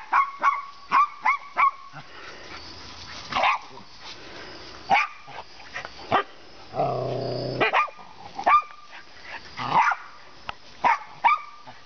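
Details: Two 15-month-old female Siberian Huskies, puppy-mill rescues, on a play date with a Jack Russell and an Italian Greyhound: sharp high yips and barks in quick runs, a low growling stretch in between, scuffling throughout.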